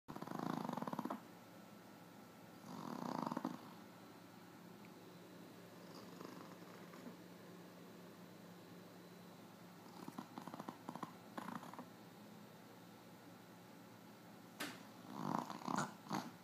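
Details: A female Boston Terrier snores in rough, raspy breaths that turn into snuffly snorts near the end as she snores herself awake.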